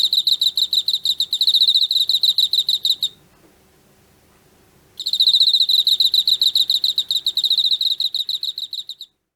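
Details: An autumn-caught Emma field cricket gives about three seconds of quick, bright, pulsed chirps, falls silent for roughly two and a half seconds, then resumes the same ringing, evenly spaced chirping until the end. The background is quiet.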